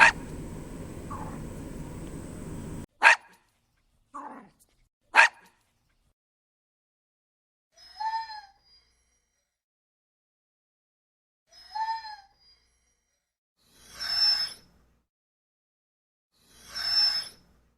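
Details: Dogs barking: a noisy stretch gives way to single sharp barks spaced a few seconds apart, some short and clipped, the last two louder and broader, with silence between.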